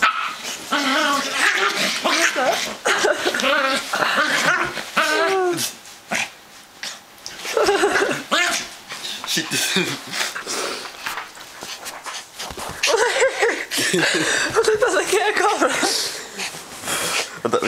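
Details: Mimmi, a miniature poodle, losing it with excitement after ten hours on the Autobahn: bursts of high, harmonic yips, whines and yelps, rapid and uneven, broken by short pauses, with people talking and laughing over her.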